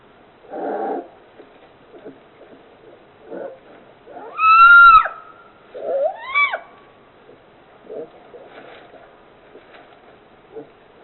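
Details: Captive polar bear cub, 41 days old, born 26 December 2020 at an aquarium in Oga, Akita, Japan, snoring loudly: short breathy rasping bursts every few seconds, with two rising-and-falling whining squeals in the middle.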